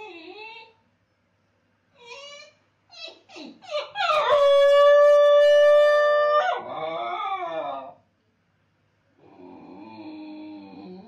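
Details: A Basenji left alone by its owner gives short broken yelps, then one long, steady, high howl held about two seconds. The howl breaks downward into a wavering tail, followed after a pause by a soft, low whine.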